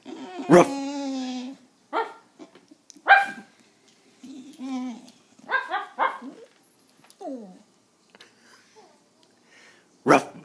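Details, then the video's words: Pet dog whining while a person tries, without success, to make it bark: drawn-out, steady, nasal tones, a short falling whimper, and human voice and mock barking between the calls. "Penny whining"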